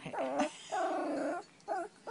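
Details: Shih Tzu Lina-Valentina of VICTORY Shih Tzu, indoors wanting barbecued beef, gives drawn-out whining yelps, three harmonic-rich cries over two seconds, each wavering then falling, with short gaps between.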